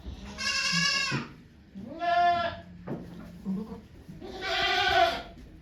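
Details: Goat named Okayu giving birth to two kids at Yoshigake farm, Japan, 3 May 2023, with volunteers watching: three loud, harmonic bleats, each about a second long, with short pauses between them, and faint low rumbling behind.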